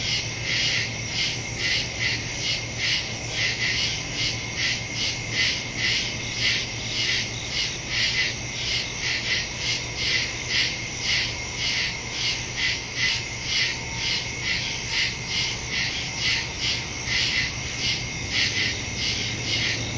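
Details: Night in the woods with crickets, recorded September 2 on a phone with a stereo microphone: dense high chirping pulsed about twice a second, continuous throughout, with a low steady hum beneath.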